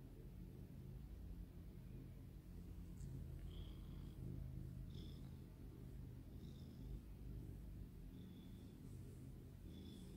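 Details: Purring of a small longhaired tabby pet cat, a female, relaxing; continuous low vibrating rumble throughout, overlaid by short faint high whistly tones recurring every second or two.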